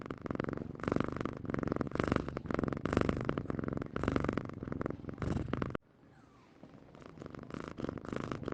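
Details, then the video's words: Domestic cat purring up close, a steady rough rumble in rhythmic pulses that stops abruptly partway through, followed by quiet, softer purring. "SUARA KUCING MENDENGKUR"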